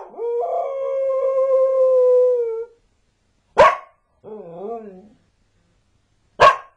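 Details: Border collie howling and barking; a long steady howl held nearly three seconds, then a sharp bark, a short wavering yodel-like howl, and another sharp bark.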